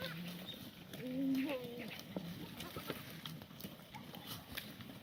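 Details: Korean black goats on a farm in Gimhae, South Gyeongsang, South Korea, on a clear Sunday morning in late March during a cold snap that froze the water trough; one low, wavering bleat lasting about a second over faint background noise.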